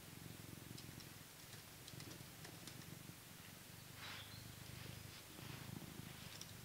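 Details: Coco, a blue British Shorthair cat living in England, purrs while being brushed. The low, steady purr pulses throughout, with soft brushing strokes and rustles over it.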